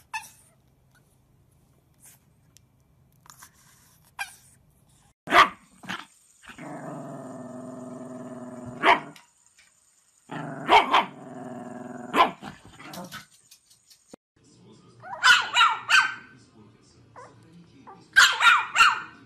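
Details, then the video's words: Chihuahua barking from a compilation: sharp, bursting barks in irregular clusters, with long droning, buzzy growl-like stretches between them. The barks come faster and denser toward the end. "Funny and Cute Chihuahua Barking Video Compilation"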